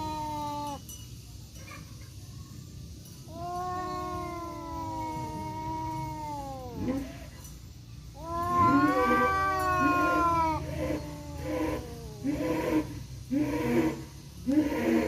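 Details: Fighting tomcats, one black and one tabby-striped, face off in an Indonesian forest, trading long moaning yowls that break into rapid choppy growls and hisses toward the end.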